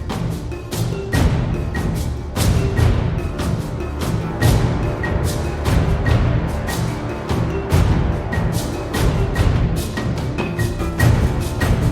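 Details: Rhythmic percussive music with deep drums and mallet tones, no animal sound heard.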